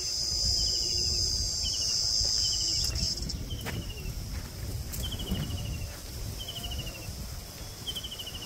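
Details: Cricket calling in daytime in the Sundarbans; a steady, thin, high continuous trill that stops abruptly after three seconds as footsteps and talking come near, with short descending whistled notes repeating about every second and crunching footsteps.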